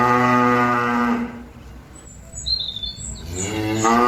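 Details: Cattle calling companions back to the pen: a steady moo fading after a second, a pause with small bird chirps, then another moo beginning at the end.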